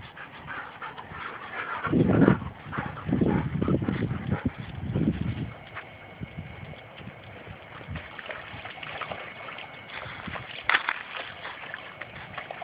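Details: Two pet Labrador retrievers wrestling and playing rough together; deep, rumbling growl bursts come in quick succession for a few seconds, then give way to quieter scuffling and shuffling with a faint steady tone in the background.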